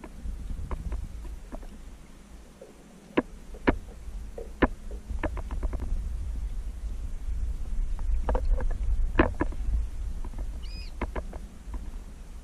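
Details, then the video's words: Baby manatee approaching and checking out divers underwater at Crystal River, Florida, in 2018. A single brief, high, tonal squeak with a clear overtone comes near the end, over steady low rumbling water and boat noise and scattered sharp clicks. "Baby Manatee checks us out and squeaks"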